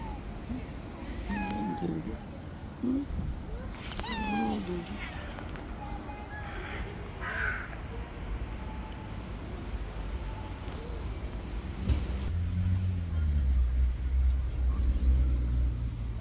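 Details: Street cats clashing in an angry white cat's territory: a few drawn-out, wavering meows and yowls in the first half, over a steady low rumble of background noise.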